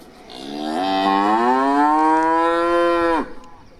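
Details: A cow grazing on grass gives one long, drawn-out moo that rises gently in pitch before cutting off abruptly.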